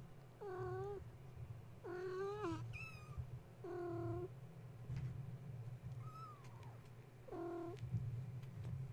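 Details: Wide-awake kittens belonging to the mother cat Gaia, climbing and playing at bedtime after a space heater came on; repeated harmonic meows roughly every one to two seconds, some thin high squeaks between, with a steady low hum underneath.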